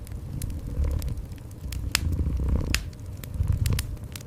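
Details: Gentle indoor cat purring as a low, steady rumble in pulsing bursts, heard beside a cozy fireplace whose crackling fire gives sharp, irregular snaps and pops throughout.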